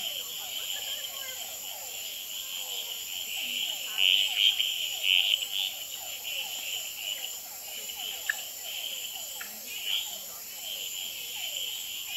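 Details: Male red-eyed treefrogs calling, tremulating and fighting on a potted plant at the Experimental Pond in Gamboa at night. Brief clicking notes rise above a dense, high, trilling chorus of hourglass treefrogs and other species, with rapid falling low notes repeated throughout.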